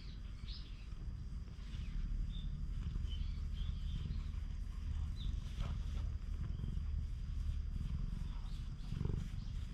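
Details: Stray cat on a Japanese cat island, stroked and touched by a man, filmed with a GoPro; a steady low rumbling purr throbs continuously beneath faint outdoor hiss, with brief higher squeaks near the start.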